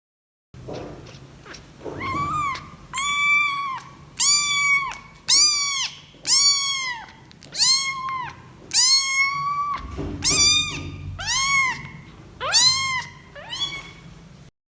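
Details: A newborn kitten cries in a series of high, wavering mews, repeated about once a second; the cry simply signals new life and distress.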